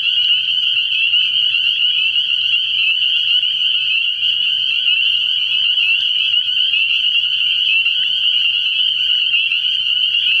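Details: Early-year nocturnal chorus of spring peepers at a frog pond, high piping calls packed so densely they form one seamless, even ringing tone throughout, with faint low noise in the background.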